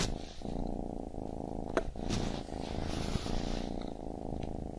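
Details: A baby kitten purrs in a low, buzzing drone with regular breath pauses, and a couple of brief sharp clicks and soft rustling noises are heard.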